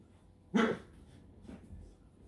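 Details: A Scottish Terrier at a kennel in Hungary gives one short, sharp bark, followed about a second later by a much fainter second sound. The room is otherwise quiet.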